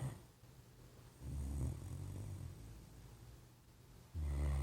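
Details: A Great Dane passed out on a couch snores deeply: a long low guttural rumble rising and fading over two seconds, a quiet pause of breath, then a sudden loud heavy snore to close.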